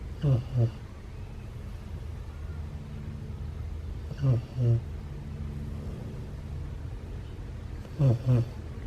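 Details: Ace, a sleeping Siberian Husky puppy, snoring loudly: low, rumbling double-pulsed snores return about every four seconds, with quiet breathing between them.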